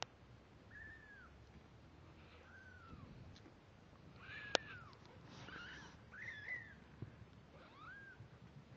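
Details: Two-week-old kittens, eyes newly open and starting to walk unsteadily, giving a series of short high arched mews, five or six in quick succession, with soft rustling and a sharp click between calls.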